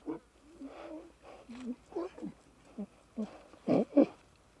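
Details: Young lion cubs playing and bonding in the wild give short, rough, growly calls in uneven bursts, low to mid pitched, with two louder, harsher snarls near the end; the calls sit against quiet background.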